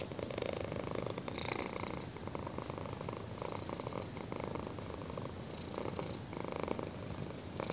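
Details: Chin-scratched kitten giving a loud continuous purr, rough vibrating rumble pulsing with each inhale and exhale about every two seconds, with faint brief higher hiss-like overtones.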